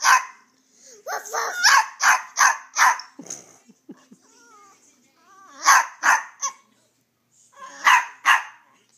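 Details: Pet dog barking as a young girl coaxes it; clusters of quick yapping barks with brief pauses between bursts, the child's voice interleaved, a soft growl-like sound in the middle.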